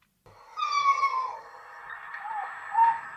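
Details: Red fox (Vulpes vulpes), mating scream: courtship, mating call.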